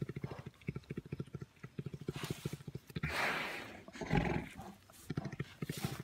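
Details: Brown bear purring while playing with its carer: rapid low pulsed throbbing in bursts, broken midway by a louder breathy rush of noise, then the pulsing resumes.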